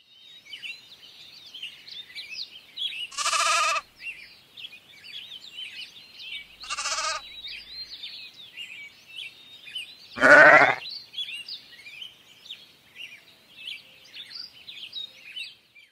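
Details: A mouflon from a family group in the mountains bleats three times, each a coarse, nasal, sheep-like cry under a second long, a few seconds apart, over a steady twittering chorus of many small songbirds.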